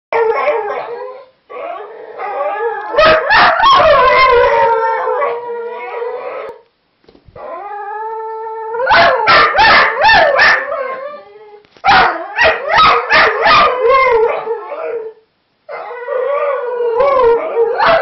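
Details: Several whippets howling together in competition: overlapping wavering howls with yips and sharp bark bursts, long sustained tones rising and falling, broken by brief silent gaps.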